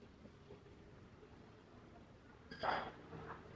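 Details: Orange tabby cat giving up on a squirrel hunt, letting out one short, bright meow about two and a half seconds in after a quiet stretch of low background hum.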